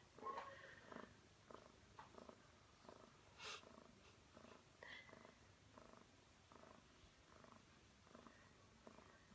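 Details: An 11-year-old female house cat, described as cranky, purrs loudly indoors while perched up high; soft rhythmic pulses repeat roughly twice a second under a low steady hiss.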